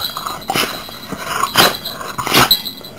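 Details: Chesapeake Bay Retriever named Dakota, a male, greeting his owners in the morning with a smile that makes him sneeze; three sharp, breathy sneeze bursts, roughly one per second, with quiet pauses between them.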